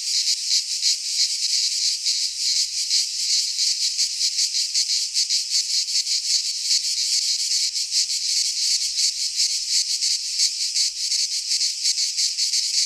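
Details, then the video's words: In a Greek pine forest at midsummer, many cicadas keep up a constant high-pitched sizzling buzz, beating rapidly and fairly evenly, with no birds, voices or other noise. "Cicadas singing in midsummer - Nature sounds from the Greek fauna - Sounds of cicadas"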